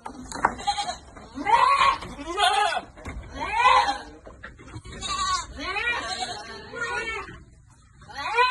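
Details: Goats on a farm in the Philippines being given vitamins, several wavering, harmonic bleats overlapping in quick succession, with human voices mixed among them.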